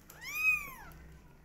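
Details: A single drawn-out meow from a twenty-day-old kitten, high and clear, swelling then bending downward over about a second in a quiet room.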